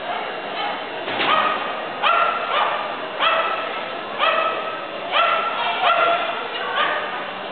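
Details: Sooky, a female Australian Cattle Dog, at her first novice agility trial in Fletcher, North Carolina, January 2011; about ten sharp, harmonic barks come in bursts roughly every half-second to second over a steady murmur of crowd noise.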